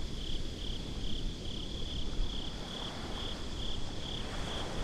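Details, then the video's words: At the beach after dark, crickets chirp in regular pulses on a single high tone, about two per second, while deep surf and wind noise rumble underneath. "Crickets at the Beach"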